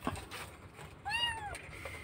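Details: Kitten crying loudly for its missing mother during a rescue in Indonesia; one drawn-out, high meow with a slight rise then fall, preceded by low rumbling background noise and a faint voice.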